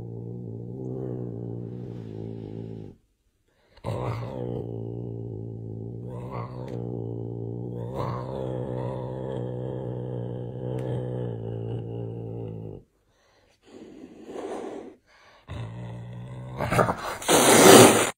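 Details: Big angry cat holding long, low, droning growls with short pauses and brief upward yowling inflections, ending in a sharp, loud, breathy hiss.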